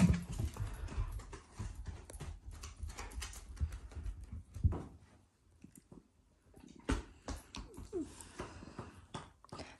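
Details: Affectionate Shiba Inu pet growling playfully at its owners indoors, not angry; low rumbling growls and huffs fill the first seconds, then pause and resume with scuffling sounds.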